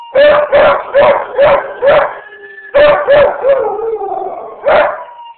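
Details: A Beagle/shepherd mix howls at ambulance sirens: quick, rough baying bursts, then a drawn-out, wavering, falling howl as a siren sounds faintly.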